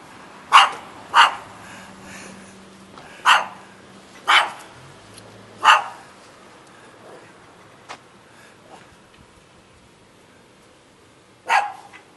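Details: Shaggy dog in Jeonju, North Jeolla Province, Korea, giving six sharp, bright barks: a quick pair, another pair about two seconds later, a single one, then a long pause before a last bark, over a faint low hum.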